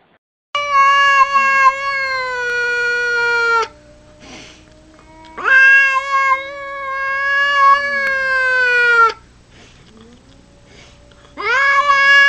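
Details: Domestic cat giving three long, drawn-out meows of about three seconds each, richly harmonic and steady with a slight downward sag at the end, separated by short quiet gaps with faint background noise.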